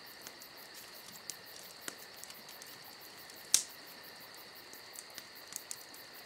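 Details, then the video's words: Summer-night crickets trilling in an unbroken high-pitched chorus, with a rapid pulsing layer on top; a crackling fire adds scattered snaps, one loud pop midway. "Summer Night Crickets & Crackling Fire"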